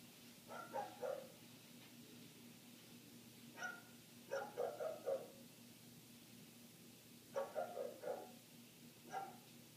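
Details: A neighbour's dog barks nonstop for minutes, heard from inside a house with the windows shut. Muffled barks come in bursts of two to four, with short pauses between bursts, over a constant low hum.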